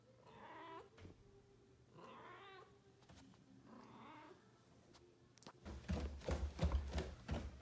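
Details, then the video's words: Balinese cat, a pet, giving three drawn-out, wavering meows about every two seconds under a faint low hum, followed by loud thumping and rustling noises. "Balinese cat voice"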